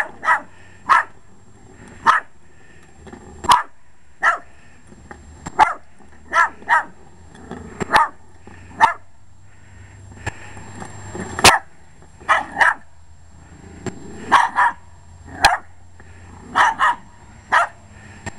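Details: Barking Jack Russell Terrier, short-legged, going after a lawn mower; rapid run of sharp barks, sometimes doubled, nearly every second, over a low motor rumble.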